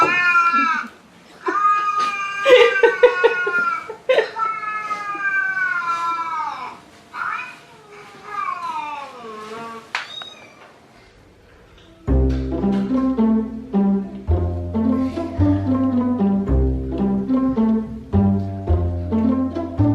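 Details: Cats in a funny animal compilation give a quick series of loud, strained meows and yowls, some falling in pitch, during the first twelve seconds. After that, rhythmic music takes over the rest of the recording.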